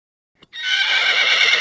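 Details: Horse neighing: after a faint click, a loud, bright, high whinny starts abruptly and holds as a strong sustained tone with rich overtones to the end.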